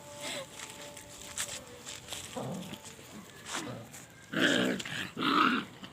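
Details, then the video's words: Puppies fighting, giving short low growls and yelps through the first seconds, then two loud, harsh, broad barks about a second apart near the end, over steady background hiss. "puppies fighting🐶|dog barking"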